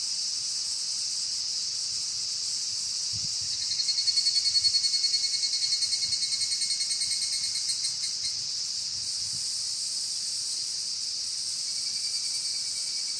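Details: During an evening walk, a dense, continuous high-pitched cicada chorus fills the air; midway a louder pulsed series rises and fades over a few seconds, fitting the repeated trilling phrase of the evening cicada (higurashi).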